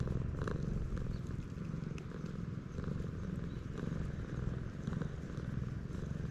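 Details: Stray cat purring on a Japanese cat island, recorded on a GoPro HERO8: a continuous low vibrating rumble in gentle pulses, with light ambient outdoor noise.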